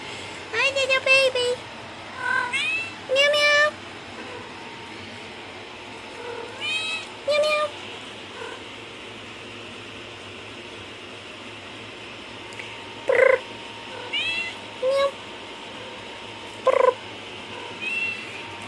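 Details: Pet kittens indoors, one recovering from swimmer's syndrome; high, clear meows with rising-then-falling pitch in short bursts, roughly eight across the stretch, separated by quiet gaps, with a person's voice talking softly between them.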